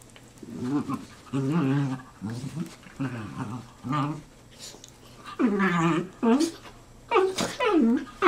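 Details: After wrestling, two black and tan dachshunds, four-year-old Manny and one-year-old Franky, rescued from Georgia, 'talk': a run of low harmonic grumbles, then several sweeping whines that dip and rise sharply, indoors.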